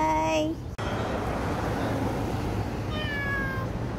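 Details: Street cat filmed in November 2023, giving a drawn-out meow that slides downward near the end, after a brief harmonic voice-like sound and an abrupt cut, over a steady low rumble of street noise.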